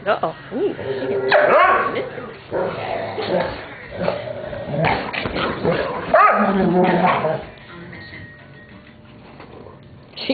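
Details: Weetzie roughhousing with Junior as Maddy protests throughout: a busy tangle of barks, growls and yips in rapid overlapping bursts, loud for about seven seconds before settling to quieter scuffling.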